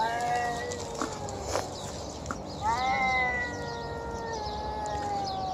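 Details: Hungry feral stray cat being fed outdoors, making drawn-out harmonic meows: one long falling cry near the start, a second rising then slowly sliding down from about 2.6 seconds, with faint background noise.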